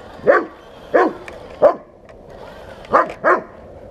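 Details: Bernese Mountain Dog barking at a 1:16 scale remote-control tank: five short, sharp barks in irregular succession, two pairs and one single, with quiet gaps between.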